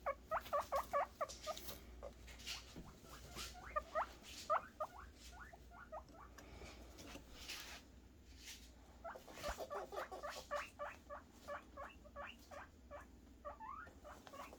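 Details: Guinea pig boars calling in anticipation of food, a rapid series of short rising squeaky whistles in bursts, repeated many times with brief pauses, over a low steady background hum.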